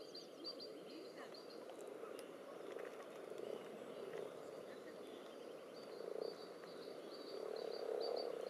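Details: Common toads and various frog species crowding and jostling in a spawning pond with spawn clumps and strings: a dense low croaking chorus, continuous and murmuring, with rapid high ticking pulses repeating in short bursts above it.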